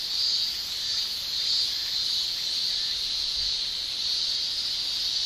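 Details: Male cicadas in a Japanese summer, their tymbal song forming a steady shrill drone high in pitch, gently swelling and fading in loudness with no pauses and no other clear sounds.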